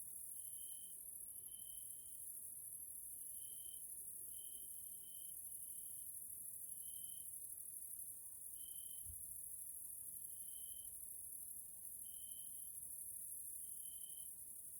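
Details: A nature area in Hungary, Central Europe, with grasshoppers (Caelifera) calling in the evening: a constant high-pitched insect whine, plus short pure notes spaced about a second apart, and one low bump midway.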